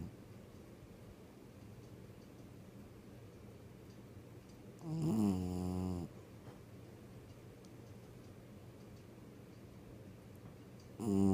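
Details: Tessa, a six-year-old dog, snores in her sleep: a single loud, rasping snort with stacked harmonics lasting about a second midway, another starting at the very end, and soft, steady breathing noise between them.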